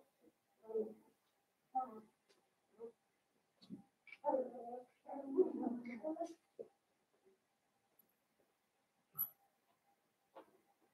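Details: Blenheim Cavalier King Charles Spaniel puppies, a litter of five born at New Year's, in an indoor puppy pen: short low grunting whimpers in scattered bursts, a longer run of squeaky yelps mid-way, then quiet with faint isolated squeaks.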